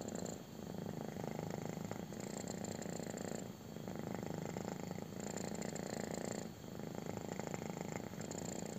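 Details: A kitten having its belly rubbed purrs hard, the low rumble rising and falling in long cycles roughly every three seconds as it breathes in and out.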